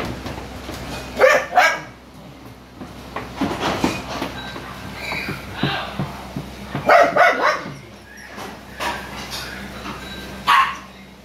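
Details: Dogs at a kennel where a Poodle was bred with a long-haired Chihuahua, the female having broken out of her cage while in heat: scattered sharp barks and yips in bursts, with people talking nearby.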